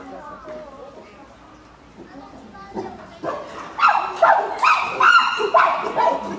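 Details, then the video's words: Common chimpanzees frolicking together at Maruyama Zoo, August 2010, calling happily: quiet low murmurs at first, then from midway a series of loud, harsh, rising cries in quick bursts. "チンパンジーの鳴き声 Common Chimpanzee vocal"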